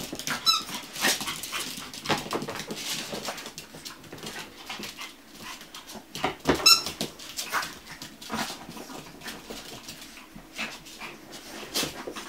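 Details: Chihuahua puppies at a kennel, a few high-pitched squeaks near the start and again midway, amid steady rustling and movement indoors.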